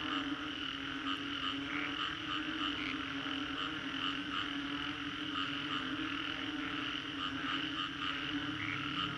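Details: After a storm in Singapore's Green Corridor, a 3D recording of a thick frog chorus: sustained droning calls at several pitches, punctuated by occasional sharper bright notes, with no break in the sound.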